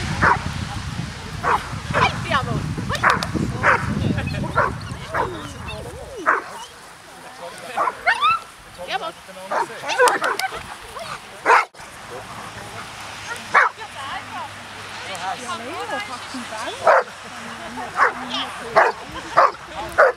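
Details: Hovawarts at a rainy meeting of Q- and P-litter siblings from the "Vom Wildenstein" line, twelve dogs and 22 people present; sharp barks come in quick series, then scattered, over people talking nearby.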